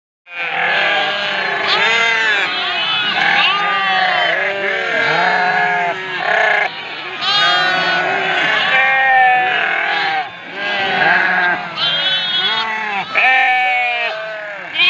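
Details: Flock of ewes calling for their lambs: a dense chorus of overlapping, wavering bleats from many sheep, rising and falling in pitch almost without pause, with brief dips in the racket.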